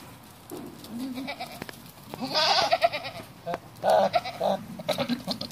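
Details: Bishi goats, a herd of nineteen, calling repeatedly: a series of wavering, nasal bleats of varying length overlapping one another, with quieter murmuring calls and rustling between them.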